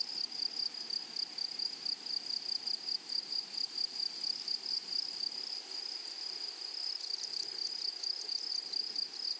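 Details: Grasshoppers in a flowery meadow or prairie: a steady, shrill high-pitched hum with rapid pulsed chirps repeating about twice a second and a brighter buzzy burst near the end, with no other clear sounds.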